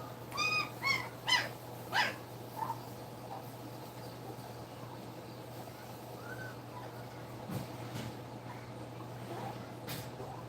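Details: Two-week-old German Shepherd puppies nursing indoors: a burst of four or five high, harmonic squeals in quick succession, then a short quieter whine and a soft rising squeak over a steady low hum.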